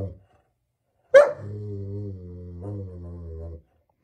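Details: A German Shepherd dog lets out one sharp bark that slides into a sustained, steady moaning tone of about two seconds with a slight lift near the end, in a quiet room.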